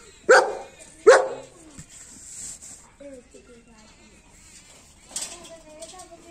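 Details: Male German Shepherd dog with a double coat gives two sharp, loud barks in quick succession near the start, followed by a quiet stretch with faint thin sounds and a soft burst near the end.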